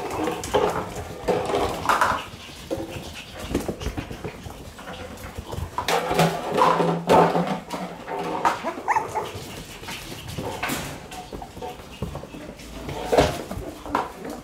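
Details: Playful one-month-old Shiba Inu puppy letting out thin whimpers and small yappy barks in irregular bursts, mixed with scuffling, knocks and room noise throughout.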